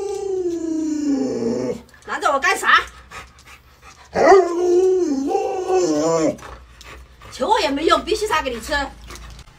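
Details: Pet Alaskan Malamute howling and whining as its owner pretends to kill fish for it: a long, smooth, falling moan opens, then more wavering howls overlap the owner's Mandarin speech and bursts of talking.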